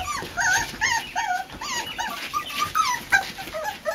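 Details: A litter of Boxer pups, just four weeks old, explores a porch pen for the first time. Rapid, wavering whines overlap in quick succession, some rising then falling, amid soft rustling.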